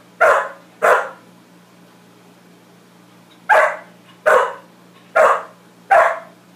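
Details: Max, a dog, barking at his own reflection indoors: six sharp broadband barks, two close together near the start, then four more after a pause of about two seconds, over a faint steady low hum.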